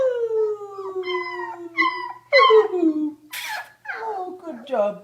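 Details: Pet beagle giving a long, steady howl that breaks into several shorter wavering bays, with a sharp noisy burst in the middle and then more falling howls.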